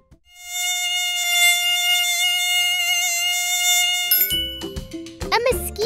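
A mosquito drones on one high, even pitch, a thin whining hum that barely wavers for about four seconds. Then it cuts off, and speech and bright music take over.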